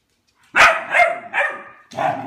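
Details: Pet dog Albert barking at his food bowl, hoping food will appear; four loud, harsh barks in close succession, each bright and slightly ringing, the last trailing off.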